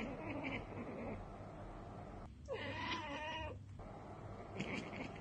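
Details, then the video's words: Cat chattering at a bird or insect it has spotted but cannot reach: one burst of about a second and a half of rough, wavering, harmonic chirps, framed by a quieter, steady background hum before and after. "Cats Ekekekeke Compilation - Cats chattering at birds!"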